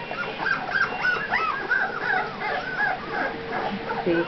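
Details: Two-week-old puppies giving a rapid run of thin, arching whines and squeaks, some rising then falling, overlapping one another, with a person talking nearby.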